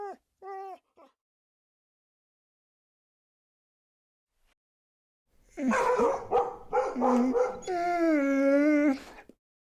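A Siberian Husky gives short whiny yips, then a long wavering, talkative howl-like moan.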